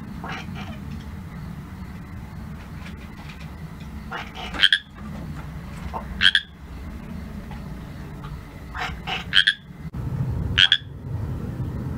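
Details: Pacific chorus frog calling after dark, giving sharp two-note raspy croaks at uneven intervals of one to two seconds, with faint softer clicks between and a low humming background.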